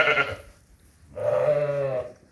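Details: A Suffolk ewe in labor around 10:30 in the morning in a barn, 2.5 hours in and later assisted to deliver twin lambs, gives a low, soft "lambing voice" bleat, a short note followed by a longer one.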